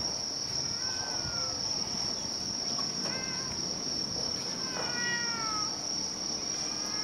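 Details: Stray or community cat, filmed between summer 2016 and winter 2017, giving three short faint meows spread across the stretch, each a falling harmonic-rich cry, over a loud constant high insect drone.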